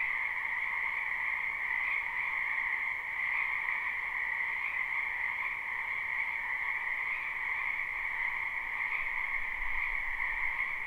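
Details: Croaking frogs fill a spring wetland, recorded live and unlooped: a thick continuous chorus of high trills, pulsing gently every second or two, with a brief low thump near the end.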